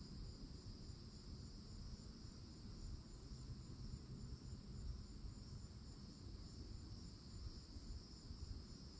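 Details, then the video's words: Florida cicadas in summertime by the forest, an even, sustained high buzz with no breaks from start to finish, accompanied only by a steady low-frequency rumble. "CICADA SOUNDS"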